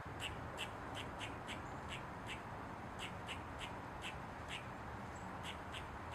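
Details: Eastern gray squirrel barking as it dances on a mushroom with its tail wagging: a steady series of short, dry, clicking chucks, about three per second, quiet against a soft continuous hiss.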